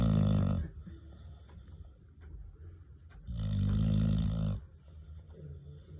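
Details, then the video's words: Old dog snoring: two long, deep, rasping breaths about three seconds apart, each rumbling low for roughly half a second to over a second, with quiet breathing between. "Los ronquidos de mi bebé viejo"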